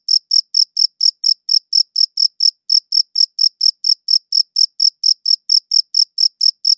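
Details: A single steady cricket chirping in a clean, high-quality recording: sharp high pulses about four a second, with one slightly longer gap near two and a half seconds, nothing else audible.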